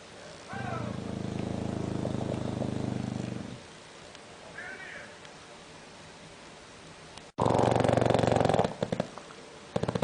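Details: Loud snores from a sleeping bulldog: a throaty, purring rattle lasting about three seconds, a quiet gap, then a harsher, louder rasping snore cut off abruptly, with a brief clatter at the end.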